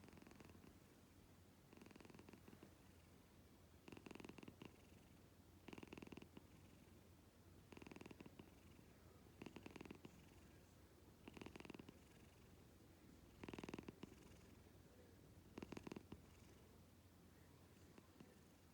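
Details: Domestic cat purring loudly enough to be likened to snoring: a steady soft rumble broken by stronger raspy purr bursts roughly every two seconds, each with a fast fluttering pulse, in a quiet indoor setting.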